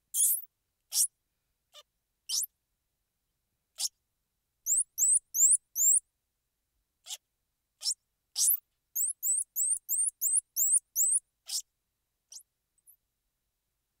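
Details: Squirrel monkey calling: rapid runs of thin, very high chirps that rise then dip, delivered in quick bursts of four to eight, mixed with short, sharp, noisy clicks and hisses; silent background.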